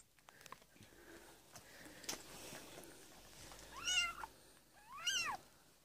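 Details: Domestic cat Amber indoors during labour on 22 February 2017, delivering a litter of four kittens; after quiet rustling, two high, arching mews rise and fall about a second apart near the end.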